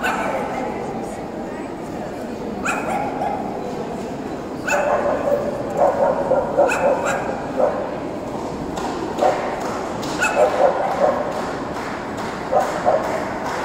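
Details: Tibetan Terrier at the Euro Dog Show 2018: short, sharp barks come in small bursts, some doubled or tripled, from about five seconds on, over steady crowd chatter and hall noise.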